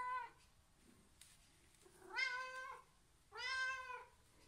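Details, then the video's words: Domestic cat making loud, direct attention-demanding meows, used when asking for food or to play: three short, bright meows about a second and a half apart, each rising slightly then dropping, quiet between them. "it is a loud and direct meow that is clearly a demand for attention here are some examples to [Music] explain [Music] [Music] oh [Music] happy"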